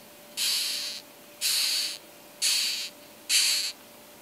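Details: A rhinoceros beetle in Australia gives four harsh, breathy hisses, each about half a second long, roughly once a second.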